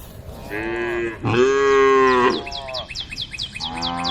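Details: Tame cows gathered on a road give herd-calling moos, a short lowing note followed by a louder, longer bellow, then rapid high chirps and the start of another low moo.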